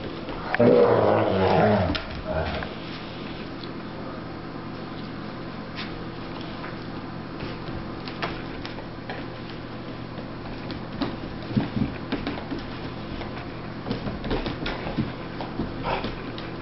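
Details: Sussex Spaniel puppy, 15 weeks old, pestering an adult basset hound to play indoors; a loud rough growling yelp bursts out in the opening seconds, then soft scuffling, panting and faint clicks follow.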